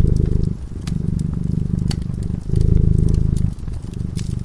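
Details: Purring from a cat asleep beside a crackling fire: a low, buzzing rumble rising and falling in breath-length waves, with brief dips between them and bright crackling pops from the fireplace.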